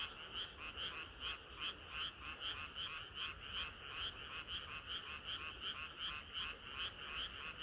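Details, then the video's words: Chorus of frogs on a hot summer night, a rapid stream of rhythmic croaks roughly three per second, slightly uneven, with a bright upper note above a buzzier lower layer. "개구리들의 합창은 끝이 없어라"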